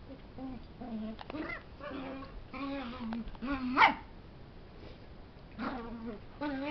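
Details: A puppy and a big dog wrestling together, the puppy making funny noises: short low growls and whiny yelps in irregular bursts, one sharp rising squeal midway, with faint human speech in the background.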